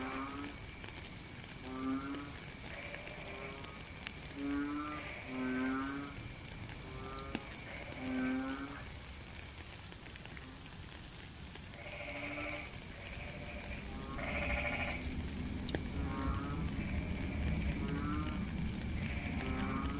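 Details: Frogs give short, nasal, buzzy croaks in quick succession over a steady hiss of rain, recorded in real time in nature.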